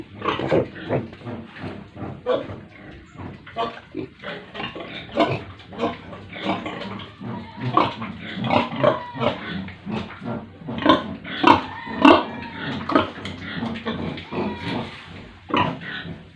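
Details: A herd of pigs and piglets at a village pig farm in India keeps up busy, overlapping grunting, with about a hundred rough bursts per minute, irregular and punctuated by sharper squeals. Several animals call at once.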